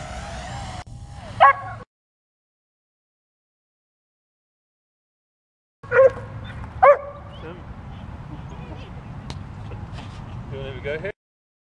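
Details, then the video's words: Dog barking at a drone flying overhead and jumping up to get it: a few sharp, loud barks stand out over a steady mechanical hum, with people talking in the background. "DOG BARKING AND JUMPING AT DRONE"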